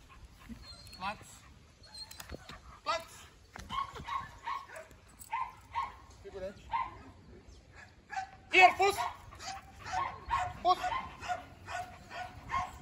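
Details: Belgian Malinois named Thor during an obedience and control training day in the field. Repeated short, sharp barks and yips come in quick bursts, growing busier toward the end, with a man talking between them.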